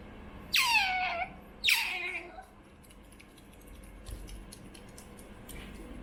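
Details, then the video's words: Pet otter Choco, a young female raised at home, gives two loud descending squeals in quick succession while asking for food, followed by quiet room noise with faint clicks and a distant soft squeak. "Choco Otters Making Strange Noises For Food"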